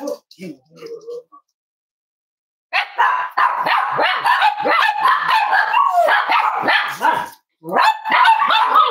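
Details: Snuggling Cavalier King Charles Spaniel puppies in a home where emotional support dogs are raised; a few soft squeaks, a pause, then a steady run of overlapping whiny yips and whimpers that breaks off briefly and resumes.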